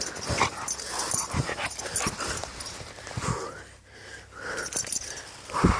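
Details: Dogo Canario puppy, five months old, on the attack in Transylvania, giving harsh, wheezy growls in short broken bursts against a rustling, scuffling background.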